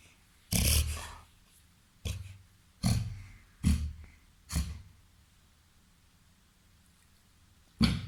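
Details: A 21-month-old Labrador, golden retriever and Weimaraner cross weighing 30 kg having a reverse sneezing episode indoors: six short, low snorting gasps spaced unevenly over several seconds, separated by quiet pauses.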